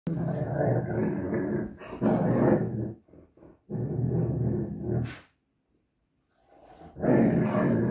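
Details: Xoloitzcuintli, a Mexican Hairless dog, at play time: rough, rumbling growls in long bursts of about two seconds. They break off briefly, then return, with a short quiet gap near the end.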